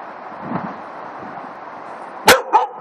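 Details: A black Labrador Retriever encountering a hedgehog gives two sharp, quick barks in close succession after a quiet stretch.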